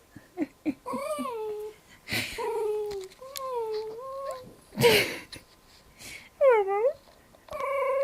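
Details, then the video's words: Pet dog making strange howling noises: several short, wavering tonal yowls that slide up and down, broken by breathy bursts, with a person speaking in between. "Dog howling and making strange noises"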